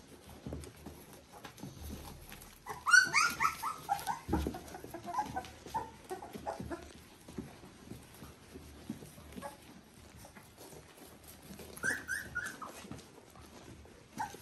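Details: Three-week-old Border Collie puppies from litter V2 (Ori x Cru) give short high whining squeals in a burst near the start and again later, separated by quiet shuffling, soft thumps and low room noise.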